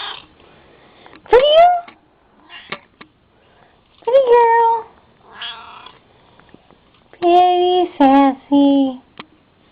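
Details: Indoor pet cat called Sassy gives a string of meows, some rising, one falling, and a final pair of long, steady, tonal calls, with brief murmured human words in the pauses.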